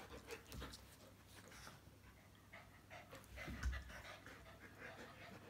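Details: Panting from Bearded Collies Mathilda and Gretchen while they play: soft, rapid breathy puffs running steadily throughout, with one louder thump partway through against low background hum.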